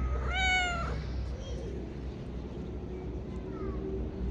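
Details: Very friendly male street cat giving one clear, loud, slightly rising meow lasting under a second, followed by low background rumble and a faint short call near the end.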